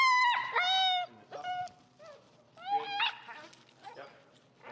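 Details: Finnegan, a feral, extremely vocal husky, protests during heel training in Chicago. He gives loud, harmonic, wavering woo-woo yowls, first long and sliding, then shorter bursts that rise and fall. Fainter yips and a quiet room sound follow.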